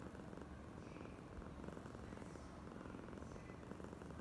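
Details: Oyen, a clingy, affectionate female house cat, purrs in an unbroken low drone, its rapid pulsing steady from start to end against light background hiss.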